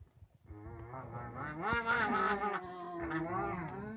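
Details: Captive nutria family, eleven females with a newly introduced young male, Zhorik, who keeps the others away from the food; a continuous nasal, goose-like harmonic wailing lasting several seconds, wavering in pitch with a few swells.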